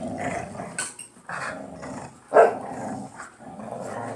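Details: Two pit bulls fighting over a dog toy in play, a close-bonded pair. Low, rumbling growls come in uneven pulses, swelling into a louder snarl midway, with a woman's exclamations in the background.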